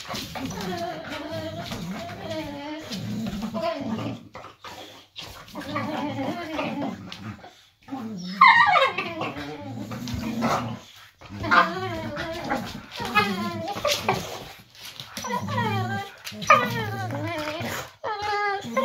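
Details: Boxer dog talking indoors beside an armchair, one of two pet boxers: whining, moaning vocal bends with rising and falling harmonic sweeps, voiced in bursts over about nineteen seconds, with human speech mixed in between.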